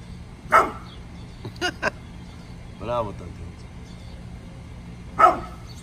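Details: Morning barking from Bullet, a pit bull in a mad mood: two strong, separate harsh barks several seconds apart, with shorter sounds and a drawn-out voiced tone between them.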